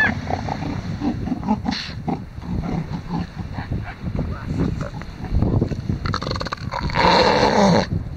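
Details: Two male elephant seals fighting over a harem of females on a busy beach at Sea Lion Island, Falkland Islands; deep, rough guttural bellows and snorts, with low throbbing pulses, overlapping noises and a brief burst of higher rasping near the end.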